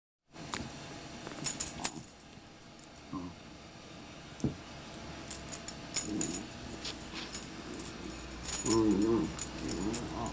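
A dachshund makes low, pig-like snorting grunts in short bursts, with jingling collar tags between them.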